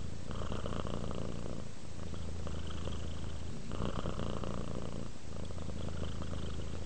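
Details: {'caption': 'Domestic cat purring while relaxing, a low throaty rumble pulsing with each breath, strong inhale and exhale phases recurring about every two seconds.'}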